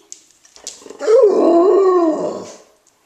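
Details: A pet puppy, recorded February 7, 2013, reacts with dislike to a singing toy fish. It gives a drawn-out, wavering howl-whine lasting about a second and a half, sliding downward at the end, after a few faint clicks.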